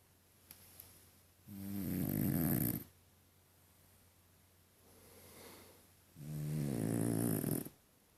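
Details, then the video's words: French Bulldog named Deni snoring indoors: two loud, harmonic-rich rasping snores, each about 1.3 seconds, separated by a quiet breathing gap; low rumbling buzz with hissy upper noise, otherwise a calm room. "Французский бульдог Дени, прикольно храпит"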